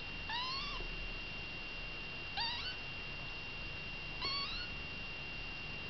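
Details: Kittens with their mother Baileys: three high, thin meows, each rising then falling, spaced about two seconds apart, over a steady high electrical whine and low room hum.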